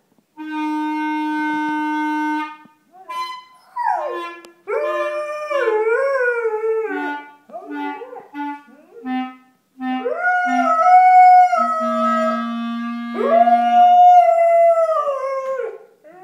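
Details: Dog sings along with a clarinet being played, long sliding wavering howls weaving between held and short clarinet notes, the dog's voice swooping up and down in pitch.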